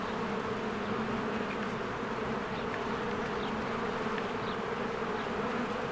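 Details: Spring beehive busy with honeybees flying in and out, giving an unbroken droning hum of many wings, with a few faint high chirps of birds over the buzz.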